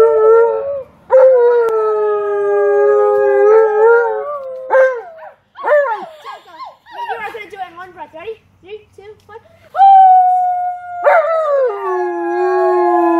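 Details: Tonka, an Alaskan Malamute who loves having company, howls for visiting relatives and a neighbor. Sustained wavering howls open and close the passage. Broken, choppy vocal sounds and voices fill the middle.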